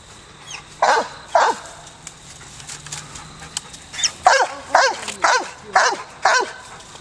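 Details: An American Foxhound at Perryville Town Park, Maryland, gives loud, ringing treeing barks with a downward-sliding tone at a squirrel up a tree.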